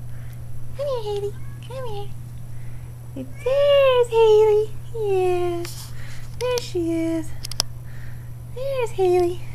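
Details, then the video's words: Four kittens, almost five weeks old, give a run of short arched mewing calls, each rising then falling, with a few longer drawn-out meows indoors; a steady low hum runs underneath and a voice speaks nearby. "kittens 5 weeks old"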